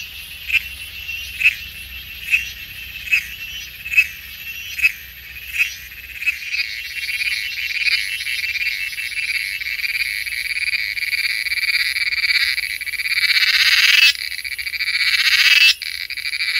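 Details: A male cicada in Coorg, India, described as genus Magicicada, sings a harsh, high buzzing song that starts as pulses and swells into a continuous drone.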